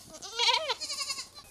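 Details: A goat being sold gives one short wavering bleat lasting about half a second, followed by quieter fluttering sounds.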